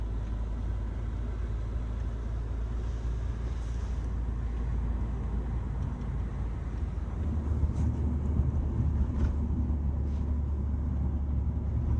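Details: A car interior carries a constant low engine and road rumble, with faint knocks and no puppy sounds.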